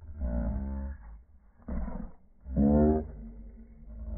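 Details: Playful squabble between Boston Terriers wanting the same ball: three throaty growl bursts, each about a second long, the last one louder and more strained, low rumbling carrying between them.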